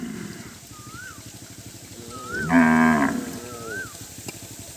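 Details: Startled cattle scattering and running from water without drinking; one loud, harmonic, steady moo lasting about half a second, with a rhythmic low thumping background and short whistle-like rising tones before and after.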